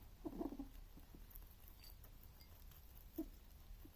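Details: A male rabbit eating and making odd sounds: a brief cluster of low, throaty grunting noises near the start, a single short low grunt about three seconds later, and quiet room hum in between.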